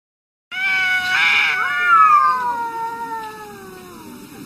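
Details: Arguing domestic cats in a fight: a long, drawn-out harmonic yowl that wavers and slowly falls in pitch over about four seconds, with a brief noisy burst near its start.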